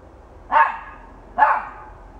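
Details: Dog giving two short, sharp barks about a second apart, each a brief burst over a quiet background.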